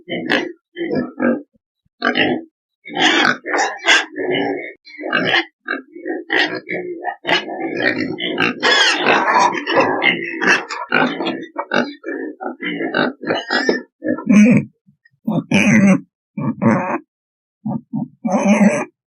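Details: Several pigs grunting continuously, with choppy guttural snorts crowding together in the middle and thinning into spaced, sharper grunts later on.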